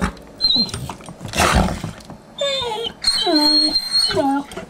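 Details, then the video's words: Puppies playing indoors, high whining yelps and squeaky cries with harmonic tones, alternating with a woman's voice talking to them and a burst of noisy scuffling. "The Complex Language Of Puppies"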